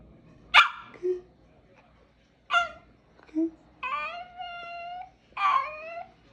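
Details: Female dog seeming to talk, asking for food; short yelping whines and drawn-out, steady, harmonic-rich whimpers, separated by pauses, with a person speaking Spanish nearby.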